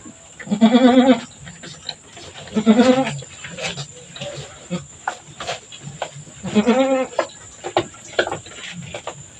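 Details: Goat at birthing time: the doe Mama Brown has just delivered two kids, one black female and one brown male. Three loud, quavering, wavering bleats arrive roughly two seconds apart, with scuffling and low voices in between.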